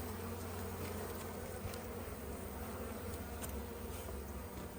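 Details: Continuous low, rough drone of a busy honey bee colony in an opened hive, an even buzzing hum without pauses, with faint tapping in the background.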